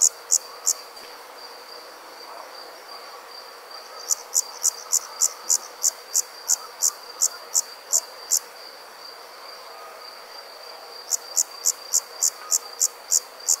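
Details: Crickets at night: bursts of sharp, high chirps, about three per second, in runs of several seconds separated by pauses, over a steady faint high hiss.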